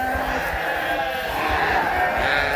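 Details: Flock of farm sheep in Canada bleating persistently while waiting to be fed; dense, overlapping, quavering bleats with rich harmonics, loud and unbroken throughout.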